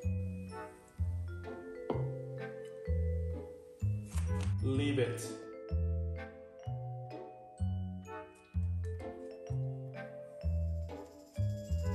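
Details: Rhythmic background music with chiming, xylophone-like notes plays alongside some speech, and no dog sounds are audible.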